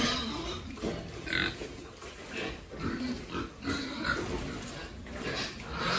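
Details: Pigs raised on a family farm grunt and squeal in rough, uneven bursts, with the loudest outbursts around the middle and a steady background of farm noise between them.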